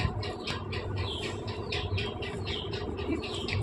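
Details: High, squeaky cries from a litter of five newborn Persian kittens, born to the pet cat Chaki the night before last, repeat rapidly and overlap across the whole stretch over a low background hum.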